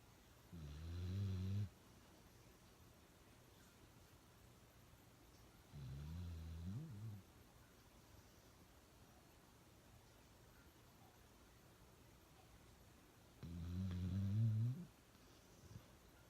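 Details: Pet dog Uno snores really loud: three deep, rasping snore bursts of about a second each, separated by long quiet pauses, in a small indoor room.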